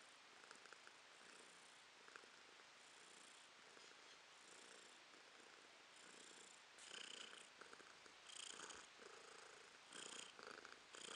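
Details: House cat, a female, purring in April 2022: a steady, breathy rumble that pulses in waves about once a second and grows louder and more distinct in the second half.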